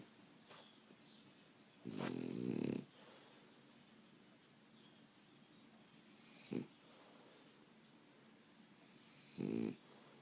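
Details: A sleeping dog snoring indoors: three rough, buzzy snore bursts at about two, six and a half and nine and a half seconds, separated by quiet breathing.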